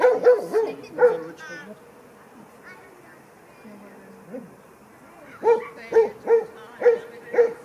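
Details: Franzi, a 16-week-old Kleiner Münsterländer puppy, romps with mostly adult dogs at a play session, recorded on a Panasonic LUMIX FZ300: a burst of barks opens, a quiet stretch follows, then five evenly spaced bright barks close.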